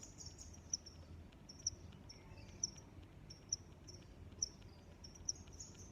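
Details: Crickets chirp in a natural setting: six crisp, high chirps at a steady pace of roughly one per second above a thin continuous trill and a muffled low background noise.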